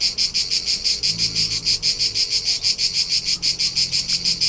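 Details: Brief stretch of cricket song from summer Tuscany, central Italy: shrill, high pulses at a steady pace of about three per second, with faint low hum underneath.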